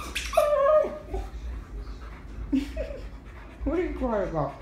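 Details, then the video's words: Indoor husky crying, unhappy about the deer being squeezed: drawn-out, whistled whines that bend up and down, separated by short gaps, ending in a sliding, quavering cry. "Husky crying does not want deer squeezed"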